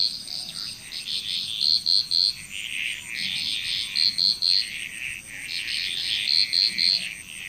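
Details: Frog chorus in Bali, Indonesia: overlapping bursts of raspy croaking with quick triple-note clicks, about three to a burst, repeated every couple of seconds over a steady high insect whine.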